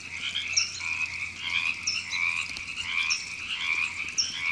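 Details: River frogs in Temescal Canyon Park, Los Angeles, California, April 2017: pulsing chorus of overlapping croaks rising and falling rapidly, while sharp high chirps return about every one and a half seconds.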